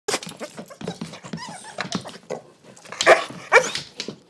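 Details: Pet dog making funny noises at dinner time indoors: a rapid run of short, varied yips and grumbling vocal bursts, some with whiny pitch sweeps, loudest near the end.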